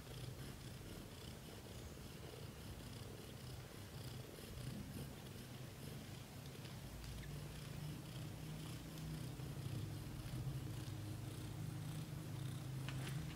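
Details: British shorthair kittens in their first month of growth, from newborn to 30 days, with a steady low rumbling purr that continues throughout and swells slightly louder toward the end. Faint rustling and clicking sit in the background.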